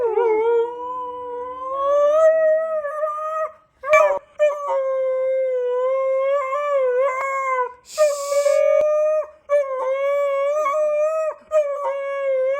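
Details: At night under the pink moon, a Siberian husky howls in long, wavering tones, each held for several seconds with brief breaks between.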